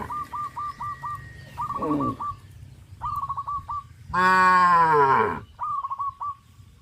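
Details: Cow from a herd walking toward the grazing field under hot sun, giving one loud, drawn-out, falling moo of about a second. Rapid trills of short whistled bird notes are repeated around it, with a fainter low call earlier.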